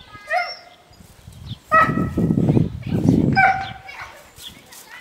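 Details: River, a dog in home protection work training on March 24, 2012, gives loud harmonic barks and yips over heavy low thumping and scuffling, with barks near the start and clustered between two and four seconds.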